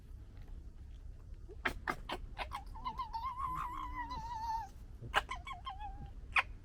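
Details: Three fox cubs from one litter bickering: sharp clicks lead into a long wavering, warbling whine, then more staccato clicking chatter and a brief shorter whine over a low hum.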